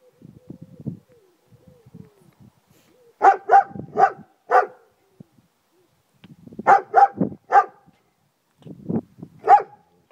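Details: Friska, a German Shepherd, barking across a garden: bursts of three or four loud, harsh barks around four seconds and seven seconds, a last pair near nine seconds, with softer low grumbling sounds early on.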